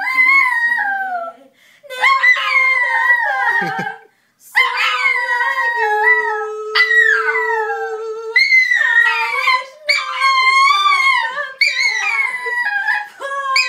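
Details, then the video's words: Chihuahua howling along to an Adele song, drawn-out wavering howls with rich harmonics, rising and falling in pitch, broken by short pauses; the singer's voice and music can be heard beneath. "Chihuahua sings Adele"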